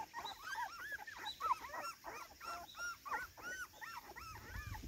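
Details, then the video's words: Cardigan Welsh Corgi on its garden debut, recorded 13 September 2024, excited and playing: a rapid run of arched, whining yelps that rise and fall, about three per second, uneven in spacing, with a faint background hum. "コーギー・カーディガン お庭デビューで一番はしゃいでいたのは・・・"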